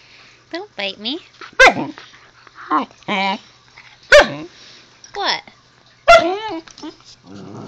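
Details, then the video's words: Husky puppy vocalizing to its owner at home: a run of short, wavering, howl-like yowls and whines, each sliding up then down, some with a gruff rough edge, spaced a second or two apart with brief pauses between. "the Husky talking to me"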